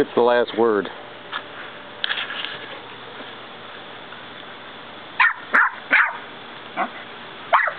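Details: A Westie puppy and a 10-year-old West Highland White Terrier trade barks: a drawn-out, wavering whine-yowl opens, then short, sharp barks come in quick pairs and singles, with faint human voices murmuring in between.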